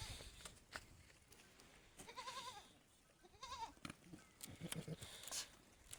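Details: Goat among other goats, giving two short wavering, nasal bleats about a second and a half apart, over background clatter and rustling.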